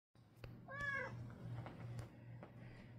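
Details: Black male house cat lying on a bed, giving a slight chirp to start while playful. One brief bright harmonic meow about a third of a second long, then soft rustling and faint clicks over a low steady hum.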